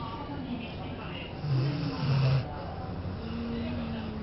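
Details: Maaru the cat sleeping soundly in an air-conditioned office while it is 36°C outside, giving two low rumbling snores in the middle, each under a second long, with faint voices in the background.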